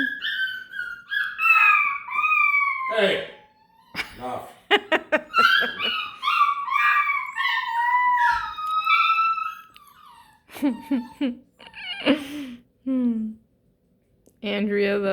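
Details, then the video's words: Overtired Beagle puppy indoors giving loud, wavering high whines and yowls that rise and fall in long strings for about ten seconds, followed by sharp yelps mixed with a person talking. "The sound of an overtired BEAGLE PUPPY"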